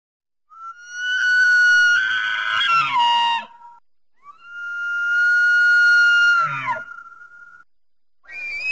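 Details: Elk (Cervus canadensis) bugle: two long, high whistled notes that break into rough, strained tones and end in low grunts.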